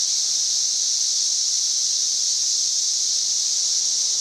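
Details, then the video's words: Cicada chorus in trees, May 31, 2024, giving a steady shrill whine like escaping steam, continuous and loud throughout, no other clear sounds. "91+ dB Cicada Singing."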